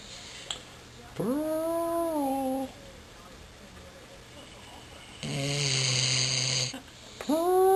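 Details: A pet dog gives two drawn-out, tonal howls with rich overtones. The first rises, holds, then slides gently downward. The second is a steadier, lower note. Quiet room hiss fills the pause between them.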